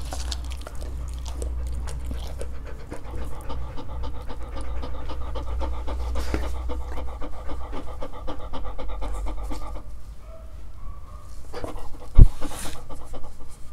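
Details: Dog panting softly and quickly while trying fruit, with wet mouth sounds and a sharp click near the end, recorded close up.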